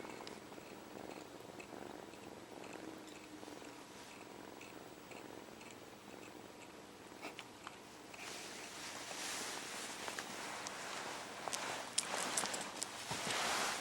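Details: Kitten HAL purring while sucking his paw, missing his mother after early separation; soft rhythmic purr in the first half, then louder broadband rustling and wet sucking noises with scattered sharp clicks.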